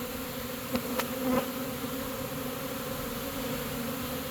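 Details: Honey bees of a caught swarm marching into their new home: a steady, layered droning buzz throughout, broken early by two or three quick knocks or taps.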